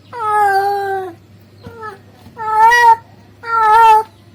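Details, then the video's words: Male domestic cat calling a female: four meows in quick succession, three long and full-toned with a slight rise and fall, one brief and quieter, over a low hum. "the sound of a male cat calling a female cat"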